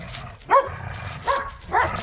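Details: During a two-against-one tug of war among pit bulls and a Malinois in a yard, three quick, loud barks come roughly every half second to one second over a low background rumble.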